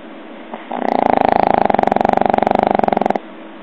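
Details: Pug snoring: one loud, rasping, rapidly pulsed snore lasting over two seconds, a dense buzzy rattle of about four pulses a second, starting abruptly and stopping sharply, with quiet room tone around it.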